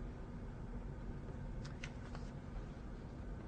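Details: Steady low rumbling room noise, like a fan or machinery, with a few brief faint clicks near the middle and no animal voice.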